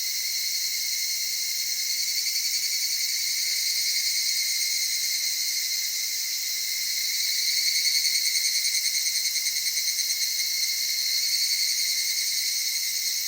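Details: Evening cicada from the cedar forests, mountain streams and highlands of the Okutama area of Tokyo, Japan: a steady, high, ringing buzz with pulsing bands, throbbing about three times a second, continuous throughout with no other sounds.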